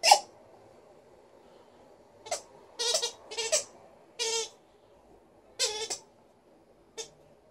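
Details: Indoors, Liza, a female Alaskan Malamute, vocalizes happily in brief, tonal, yodel-like bursts. A loud call opens, then after a pause come several short grouped cries, ending with one clipped note.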